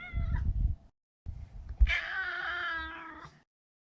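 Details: Male neutered Maine Coon cat: low rumbling handling noise, then one long, drawn-out, strained meow lasting over a second.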